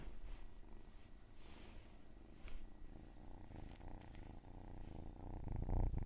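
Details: Close, loud purring from a cat, a fast low throbbing that swells toward the end, with light rustling over the top.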